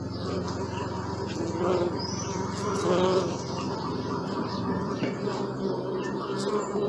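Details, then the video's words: Low, layered droning of bees, captured on a Sony Alpha 6000, a continuous buzz that swells around the third second, with a few soft, thin bird chirps above it. "Bee sound"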